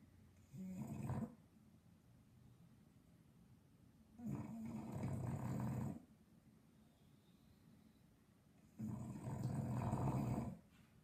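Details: English Bulldog sleeping and snoring loud, three rough rattling snores roughly every four seconds, each one to two seconds long, with soft breathing in between.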